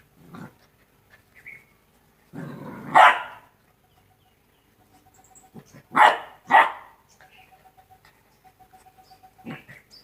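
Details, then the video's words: Rottweiler puppies aged two months at play: scattered growls and loud sharp barks, a pair of quick barks in the middle and another at the end, with quiet pauses between. "Rottweiler puppies 02 Month (Cute palying puppies)"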